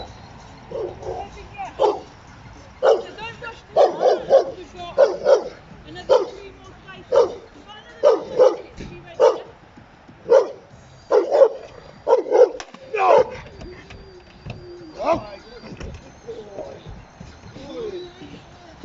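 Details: Giant Schnauzer, a trained dog entered in the AVD Bronze class in 2020, gives sharp barks about once a second in uneven runs, with a handler's brief spoken praise and commands.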